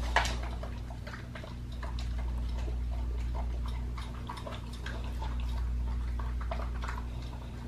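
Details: Pit bull on a raw diet eating a raw leg of lamb: irregular wet crunches and bites, roughly three or four per second, over a steady low hum.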